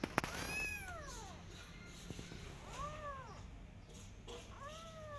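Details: Persian cat and adopted kittens out in a garden, carefully watching rabbits; a bright meow opens, then softer arched meows come at intervals over faint background hiss and a few knocks.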